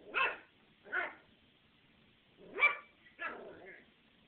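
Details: A 13-week-old puppy barking at another animal, a habit kept up for long stretches: four sharp, bright barks at irregular intervals of about one second, the last ending in a short higher yelp, with a quiet background.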